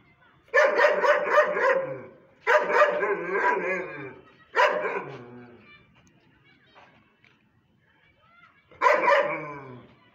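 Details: German Shepherd dog barking in bursts: four loud series of rapid, harsh barks with pauses between, the third fading out, faint sounds in the quiet gap before the last burst.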